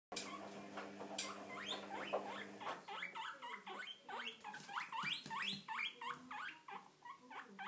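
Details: Pet guinea pigs squeaking: a rapid run of short, high, rising squeaks, several per second from about the third second onward, preceded by a steady low hum in a quiet indoor setting.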